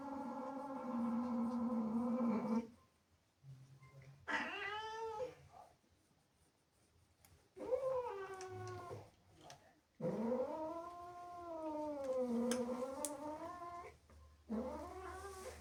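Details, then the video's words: Angry female house cat, jealous after playful kittens sneak indoors, gives long drawn-out harmonic yowls that rise and fall in pitch, the first held about two and a half seconds, then shorter wavering wails separated by quiet pauses. "Angry cat makes incredible sounds"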